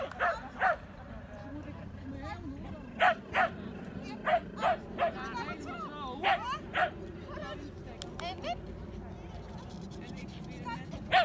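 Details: Tricolor Shetland Sheepdog barking excitedly during agility training on 29 March 2017, sharp high barks in pairs and short runs across the clip, over steady background noise.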